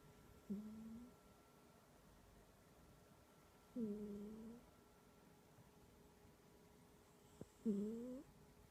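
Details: Cat asleep indoors with a loud, humming snore; three tonal, slightly rising drones come a few seconds apart, each lasting about half a second to a second, in a quiet room.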